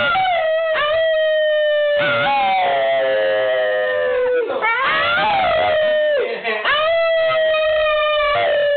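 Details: Pet dog singing: one long, continuous howl that wavers and slowly falls, then rises again, with overlapping tones building into a fuller, layered sound in the middle before a steady, drawn-out finish.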